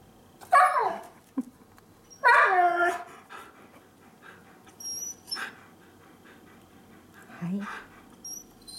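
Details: Two Siberian Huskies kept as pets indoors, a chocolate-and-white male born 2010 and a red-and-white female born 2013; drawn-out whining howls with falling tones, two long calls then softer yelps, with faint voices.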